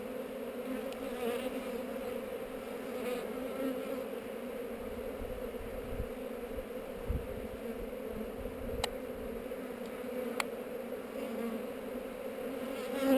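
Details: During a GoPro-recorded inspection of a hive on heather, honey bees keep up a continuous, even drone, a low two-toned hum, with a couple of sharp clicks and soft low bumps.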